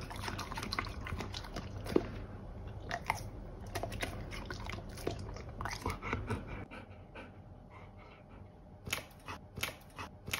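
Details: Golden Retriever munching pears, with crunchy, smacking bites for the first several seconds, then quieter scattered clicks and a faint hum.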